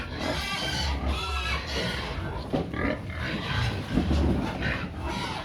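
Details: Pigs clamouring for feed: a busy mix of squeals and low grunts overlapping throughout, with steady low-frequency background noise.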